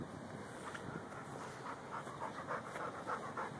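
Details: Rhodesian Ridgeback Mastiff mix named Lou hunting gophers in a yard, breathing in quick regular pants about three per second, soft background hiss, a Samsung Galaxy S3 recording.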